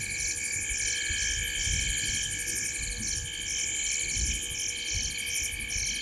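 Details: Evening frog chorus from a tree beside Gowrie dam, Djuma Game Reserve, Sabi Sand, South Africa, 19:33, 05/07/2023: rapid shrill pulsed notes in regular bursts, layered with constant high trills and low background rumble.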